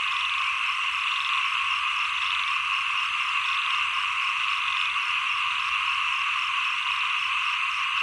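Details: Numerous frogs croak at the close of the rainy season, start of the cool season, their quick pulsed rattles merging into a continuous droning chorus that pulses softly every second or so.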